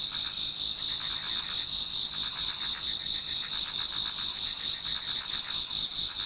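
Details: Many autumn insects singing before dawn in a Japanese garden: a dense, steady high-pitched trilling chorus with soft pulsing chirps layered over a continuous ringing drone.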